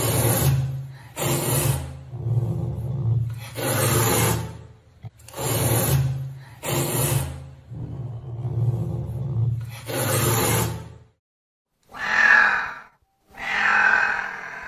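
A wild cat gives deep, rasping, sawing calls in rhythmic bursts, followed by two higher, mewing cries.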